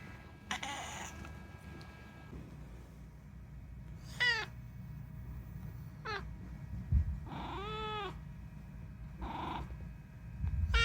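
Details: Unagi, a chatty rescued pet cat, meows about six times, each call a second or two apart. Several calls are bright and harmonic with pitch bending downward, over a low indoor background hum.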